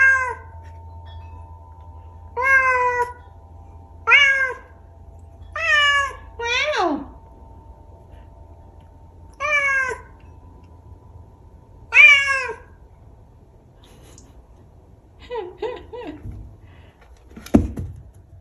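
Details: A vocal Bengal cat makes weird sounds: a series of short, bright, downward-sliding meows with a chirpy, trilling edge.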